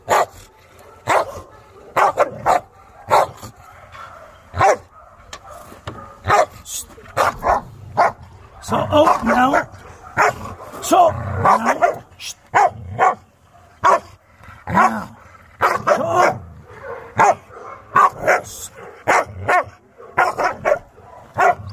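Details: Chow Chow Maike, newly arrived for training amid chaos, barks steadily in abrupt single and doubled yaps spaced about a second apart, while human voices talk through the middle stretch.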